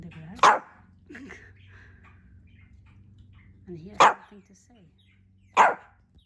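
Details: Hendo, a male Pomeranian puppy turning two years old on his birthday, born 20 August 2021, gives three sharp single barks spaced a few seconds apart, with soft human talk in between.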